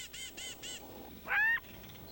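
A jackal gives four quick, high, nasal yelps about a quarter-second apart, then one louder drawn-out bark, over faint outdoor hiss.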